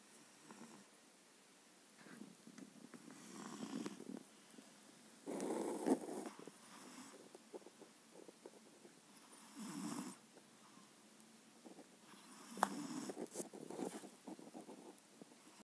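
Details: A seven-month-old Maine Coon asleep, breathing in soft uneven snores, with rougher snorting breaths near six, ten and thirteen seconds over a quiet room background.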